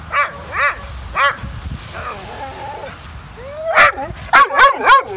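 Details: Dog named Ninja protesting at the beach after being told to go home following a long game of fetch. Sharp, high yelping barks, three in the first 1.3 seconds, a pause with a person's voice, then four quick barks near the end.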